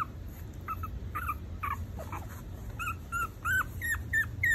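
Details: Maltese puppies, four weeks old, whimpering in short, high, wavering squeals. Some slide upward and others dip, spaced irregularly about three per second, with soft low background hum.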